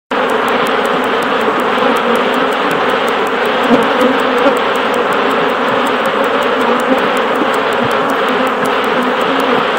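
Honey bees at a hive make a dense, steady, droning hum of many wingbeats.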